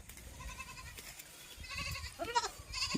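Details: Goats kept for farming, bleating in a short sequence: a faint, wavering bleat early on, then louder quavering bleats near the end, over low rumbling background noise.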